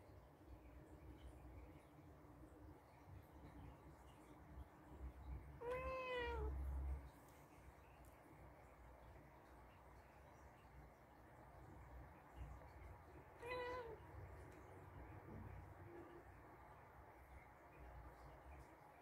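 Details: A senior female blue-eyed Birman mix rescue cat, watching her owner intently as if trying to tell her something, meows twice indoors: bright, slightly wavering rising-then-falling cries, the second shorter and softer, over a low hum.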